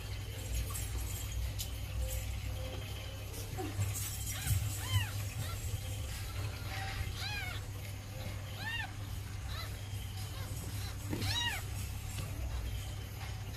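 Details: Calico mother cat nursing her kittens: short, high, arched mews repeat in scattered bursts from the middle of the recording onward, over a constant low hum.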